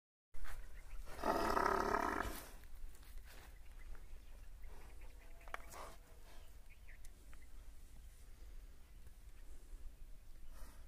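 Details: A female buffalo in full heat, with a male ready, lets out one loud, rough, hoarse bellow lasting about a second, followed by steady low rumbling and outdoor background noise.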